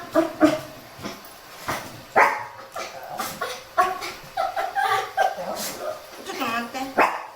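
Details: Shih Tzu complaining during a cool early-morning walk, out with a lively Miniature Pinscher; short, sharp yips and barks come in irregular bursts, with human voices mixed in between them.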